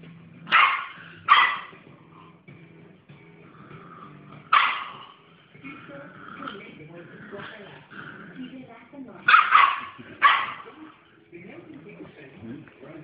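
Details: Female Dogue de Bordeaux with attitude barks in short bursts: two quick barks, a pause, a single bark, then two more near the end, with grumbling and whining sounds between them over a low background.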